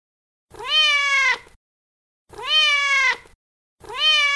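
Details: Feral mother cat calling her kittens: three loud, drawn-out meows, each about a second long, rising slightly then holding and falling at the end, spaced roughly two seconds apart, on a silent background.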